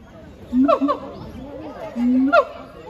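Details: Heart and Brave, siamangs at Chiba Zoological Park, Japan, recorded 12 November 2022 in their duet: two loud bursts, each a low swelling hoot breaking into a high yelping bark, with people talking behind.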